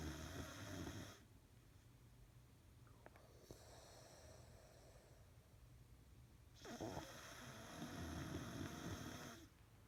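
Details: Bill the beagle, on nose medicine for two weeks and improving, snores heavily indoors; rough low rasping breaths repeat about three times a second, swelling louder in long bursts with quieter gaps between.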